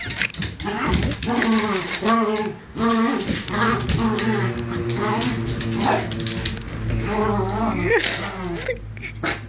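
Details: Two pet dogs, Bunny and the little one Cookie, play fighting indoors; rough harmonic growls and whining moans rise and fall in overlapping bursts, with a lower steady growl running underneath in the second half.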